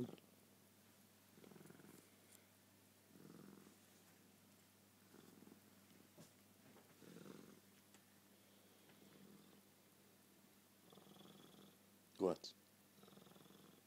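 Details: Pet cat Suki at bedtime, a nightly ritual at the same time and place; low rumbling purr swelling in soft pulses roughly every two seconds, with one brief sharp knock near the end.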